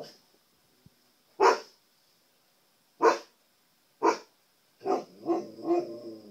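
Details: Pet husky, male, barking at himself reflected in the television indoors: three spaced, punchy barks, then a run of drawn-out, moaning howl-like yelps, over a steady thin high-pitched electronic tone.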